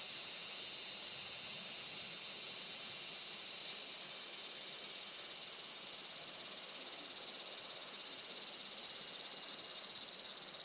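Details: Cicadas in July heat at a traditional farm in Saitama, Japan, sunny late morning of 20 July 2024: a piercing, steady buzzing wall of sound with slight wavering in pitch.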